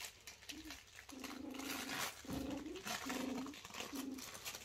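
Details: Kooikerhondje puppy, four weeks old and busy exploring, voices a series of flat, nasal whines of about half a second each, five in under five seconds, amid light scuffling and room noise.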